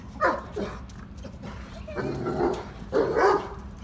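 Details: Three-year-old male black Labrador Retriever eager to play with another dog, giving short whining yelps in separate bursts, two quick ones near the start, then longer, wavering cries after a pause, over a low background hum.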